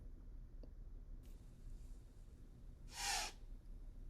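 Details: White-tailed deer (Odocoileus virginianus), alarm blow: warning other animals of a possible predator or hunter.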